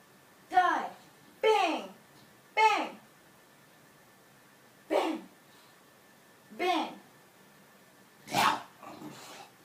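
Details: A female English Bulldog barks on the "speak" command during a trick-training session, giving short, throaty barks, each a brief falling woof, with pauses between.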